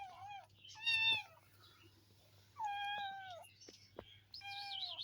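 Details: Meowing from a cat family: a short, falling meow, then a loud higher cry, a pause, a drawn-out level meow, and a final high, wavering call, over a steady low hum.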